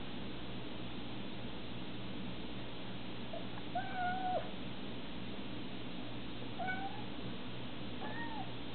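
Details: A cat meows over a steady low hum: a drawn-out, slightly falling mew near the four-second mark, then two shorter, thinner mews a few seconds apart, each with a clear harmonic, tonal quality.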